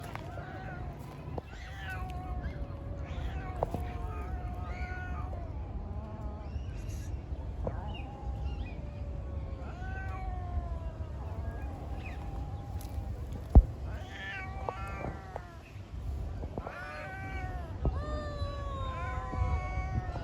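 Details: Cats fighting and making strange noises: repeated drawn-out wailing yowls, some rising and others falling, overlapping through the recording over a steady low rumble of background noise, with a brief sharp click near the middle.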